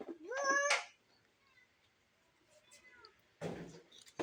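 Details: House cat, being chased by someone trying to catch it, lets out a short meow that rises sharply in pitch, followed by quiet and then a burst of rustling noise.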